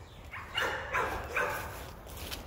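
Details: Female American Pit Bull Terrier out rabbit hunting, excited after spotting a rabbit, showing prey drive; four short, sharp yelping barks come in quick succession over about a second, with a man's voice nearby.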